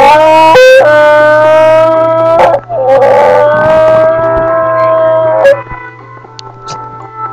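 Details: Boston bulldog singing: long, wavering, tonal howls held for about two seconds each, with a brief break between them. A sharp knock interrupts, then the howling fades into quieter, scattered sounds.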